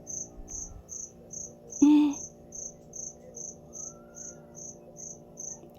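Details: A cricket tucked away inside a shop calls noisily on a Monday morning, September 8, 2025: a steady train of short high-pitched pulses, roughly two a second, broken once by a brief loud knock and voice.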